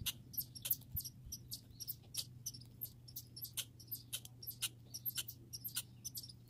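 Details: Grey and red squirrels in a backyard setting giving rapid, high-pitched squeaky chirps and clicks in irregular bursts, several per second, over a steady low hum.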